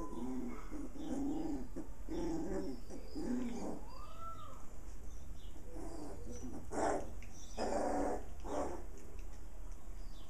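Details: Puppies at play, six littermates alongside the mother dog: rough little growls and grunts for the first four seconds, a single rising-then-falling whine, then louder, harsher yapping bursts toward the end.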